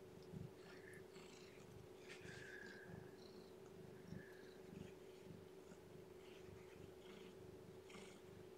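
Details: Lethargic, underweight newborn female kitten being hand-fed and warmed indoors: soft rhythmic purring pulses with a few faint, short high squeaks, over a steady electrical hum and quiet handling noises.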